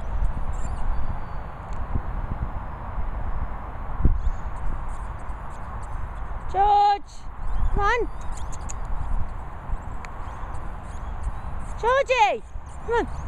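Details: Airedale Terrier named Jorjie squeaking: a few short, high, whiny squeaks, some bending up and some dropping, come in two bursts near the middle and the end, over rural background noise and a person speaking to the dog.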